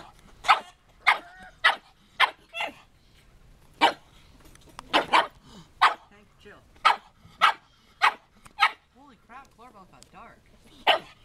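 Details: Tank, a pet pug, barks while playing with Coralbell, a dwarf goat: a run of sharp, evenly spaced barks about every half second, with a few softer whining notes near the end.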